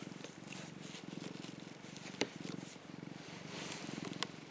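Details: An affectionate young orange tabby cat purrs while sunbathing, a steady low rumble that swells and fades with each breath.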